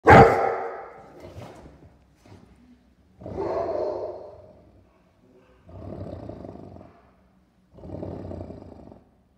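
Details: A dog gives a sharp, loud bark at the start, followed by three drawn-out, rougher, lower vocal bursts about a second long each, spaced by short pauses, with quiet gaps between.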